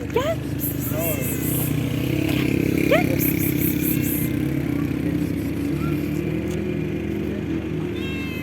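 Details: Cat giving short rising meows near the start, at one second and at three seconds. A steady engine drone runs underneath, with a person's coaxing voice, offers of food and faint music.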